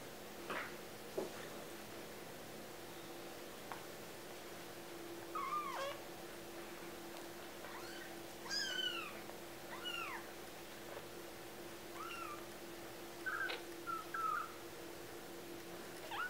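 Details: Four 2-week-old kittens named Swagger, Gallop, Mosey and Skedaddle mewing indoors: thin, high, arching squeaks scattered through the clip, several overlapping between eight and fourteen seconds, over a steady low hum.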